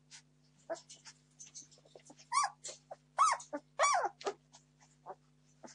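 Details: Hungry 17-day-old Entlebucher Mountain Dog puppies, litter born 26 September 2015, crying for food: soft grunts and whimpers rising into several loud arched squeals near the middle, then trailing off into quieter whines.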